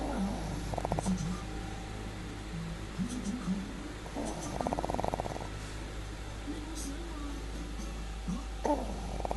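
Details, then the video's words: An old pug dog sleeping and snoring: rattling, buzzy snore bursts near the start, a longer pulsed one midway, and another at the end, over a steady low hum. "Cute old pug dog snoring!"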